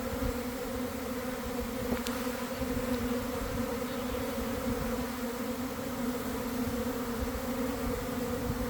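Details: Around one in the afternoon, honey bees swarm from a garden hive as some start fanning, following a cold, damp week; the sound is a steady, deep, many-winged hum with a faint click near two seconds.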